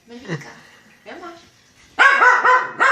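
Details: A dog cleaning a cat lets out a quick series of short, sharp barks in the second half, after quieter sounds and a woman speaking Czech.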